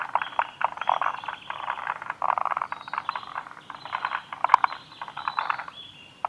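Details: Recorded on 2 June 2019 at Kawaguchiko Field Center, Japan, forest green tree frogs keep up a steady chorus of dry, pulsed croaking rattles, bursts overlapping, with a single sharp click midway.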